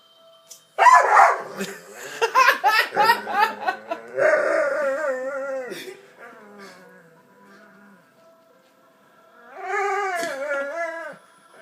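A dog gives a string of strange, wavering howls and groaning yowls that rise and fall in pitch.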